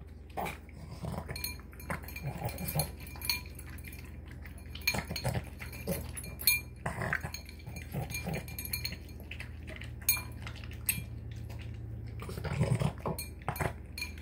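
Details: Male pet Boston Terrier wolfing down a dinner of tuna, egg and kibble in three minutes, snorting and snarfing like a pig: irregular wet, broadband snorts and gulping bursts throughout, mixed with metallic bowl clinks and low indoor hum.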